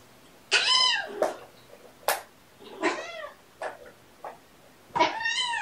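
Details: Kittens born November 22 at play, one persistently pouncing on a sister: three loud arched harmonic squawks, her "stop it!" protests, with short scuffling thumps between them in a small room.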